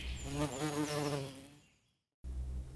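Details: A honey bee hums in a continuous, low, wavering drone that lasts about a second and a half. It fades out into a short silence, and then a voice is heard.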